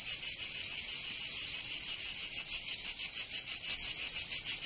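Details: Summer cicada chorus in Provence, southern France, a shrill, high electric buzz pulsing in quick regular beats, roughly three per second, with no other sounds.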